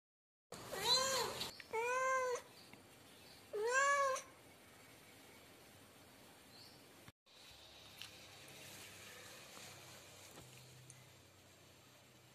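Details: A cat gives three drawn-out, nasal meows in the first few seconds, each bending up then down, followed by a long stretch of near silence with faint room hiss.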